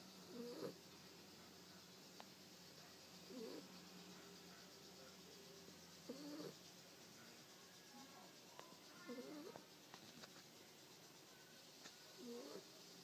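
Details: An exhausted 8-week-old puppy asleep, giving faint little snores: soft, short breathy squeaks with a wavering tone, about every three seconds over a steady quiet hiss, with a few light clicks between.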